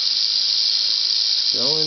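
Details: Angry female Southern Pacific rattlesnake, caught warming herself on asphalt near Whitewater, California, about 30 minutes after sunset at roughly 85°F, rattling in a steady, dry, high hissing buzz without pause; a man's voice cuts in briefly at the end.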